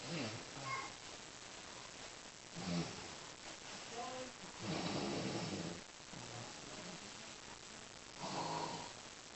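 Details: Pet dog Lady snores steadily, each long raspy, hissing breath recurring about every two seconds, rough and broad, with soft breathing between.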